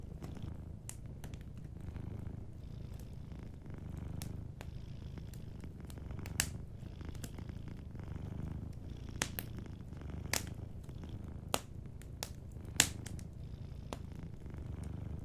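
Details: Gentle low purr of a sleeping cat, rhythmic rumbling that rises and falls with each breath, overlaid by frequent bright snaps and crackles of a cozy fire.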